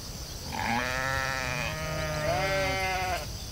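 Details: Sheep in a field giving one long, wavering, nasal bleat of about two and a half seconds, its tone trembling throughout, with a second lower voice overlapping near the end and a low outdoor rumble beneath.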